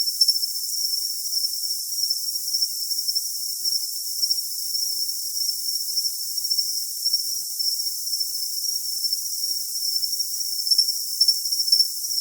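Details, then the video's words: Unbroken high-pitched cricket trill, nearly even throughout, with only a few faint chirp accents near the start and end. No low sounds or other noises. "Cricket Sound for Tinnitus Masking"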